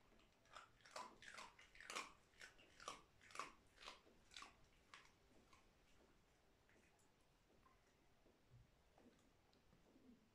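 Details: Pet dog crunching dry food indoors, a run of evenly spaced loud bites about every half second over the first five seconds, then softer, sparser chewing and small clicks.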